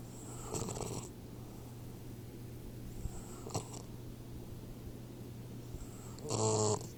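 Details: Troy, a 4-month-old Boxer puppy, snoring in its sleep. Two faint breaths come early, then one loud, rasping snore near the end, over a steady low electrical hum.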